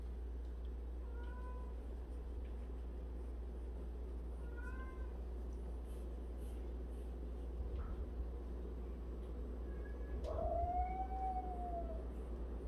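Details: One of 76 cats kept together, among them a cat that grooms the others' faces daily. Two faint short meows early on, then a louder, longer meow that arches up and falls near the end, with a constant low background drone.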